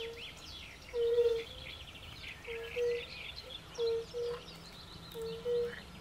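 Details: European fire-bellied toads calling at a forest pond: soft, low, hollow 'oop' notes, each brief and tonal, often in overlapping pairs from several animals, about eight notes in six seconds, with birdsong twittering faintly above.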